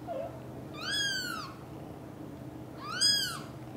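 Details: British Shorthair kitten named Cream, looked after by two mother cats: two clear high meows, each rising then falling, spaced about two seconds apart against a quiet low background.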